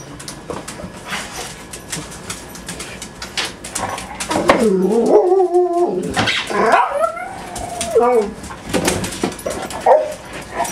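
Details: Six dogs at home on a typical morning. Wavering howls and whimpers rise and fall, mixed with clatter, people talking and background music.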